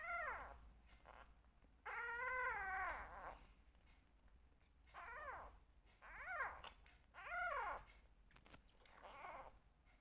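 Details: Two rescue kittens meowing loudly during bottle feeding, wanting milk and attention: repeated arched, harmonic mews, some drawn out, roughly every one to two seconds, in a small indoor room.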